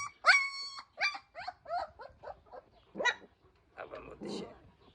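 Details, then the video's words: Georgian Shepherd puppies from Sagarejo, Georgia, making a quick run of high yelps and squeals that fade into softer whines, with a person's voice near the end. "ქართული ნაგაზის ლეკვები"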